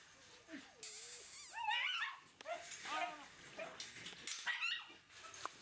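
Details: Red Shiba Inu female puppy, 43 days old, at a breeder: high whining whimpers and squeaky yelps, rising and falling, several in quick succession, with faint background noise.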